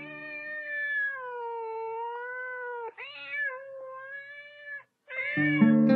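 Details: A male red-tabby-point Thai cat, born 2013, complains jealously while a younger male Thai cat plays with a toy mouse, giving long, drawn-out yowling meows that waver in pitch, with brief pauses between them.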